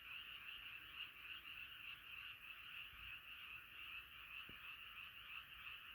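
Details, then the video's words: Frog chorus at night, a dense continuous trilling band of many overlapping callers, steady and unbroken throughout, with no other sounds standing out. "자연의 소리 개구리소리"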